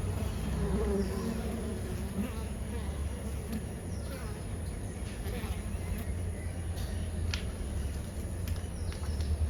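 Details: Honey bee colony at a garden hive entrance in the morning, foragers returning with multicolored pollen; a steady low droning hum throughout, with a constant faint high tone and a few brief clicks.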